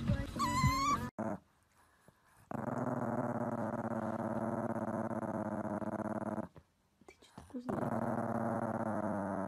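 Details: Chihuahua giving a long, steady, rumbling growl with a trembling, buzzy tone that holds for several seconds, broken by short silences, after a brief high-pitched whine at the start.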